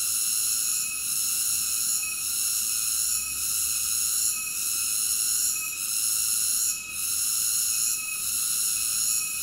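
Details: Continuous shrill cicada buzzing, layered in bands of high tone, with gentle dips roughly every second or so and one deeper dip near the end; nothing else audible.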